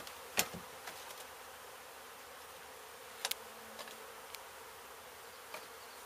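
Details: Honey bees from a hive struck by construction crews at an abandoned home under demolition in Mission, Texas, during a rescue and relocation; a steady, dense buzzing hum with sharp clicks and knocks at intervals.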